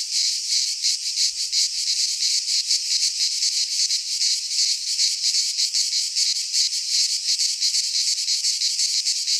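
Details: Midsummer cicada chorus recorded in Greek pine woodland, an intense shrill rasping hum with rapid rhythmic throbbing about three beats per second, constant throughout.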